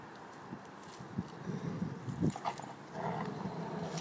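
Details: Giant Schnauzer growling over a bone, a low rumbling growl in irregular pulses through the clip, with soft background noise.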